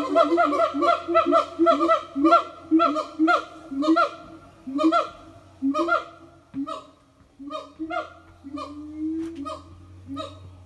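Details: A Siamang family sings a morning song at an eco-tourism organic farm, with loud, harmonically rich barking notes repeated about once a second and a few rising whoops.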